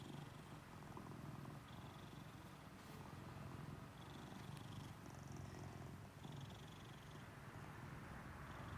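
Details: A pet American Shorthair cat stroked under its chin gives a quiet, steady, throaty purr that pulses without a break, with light rubbing and rustling sounds.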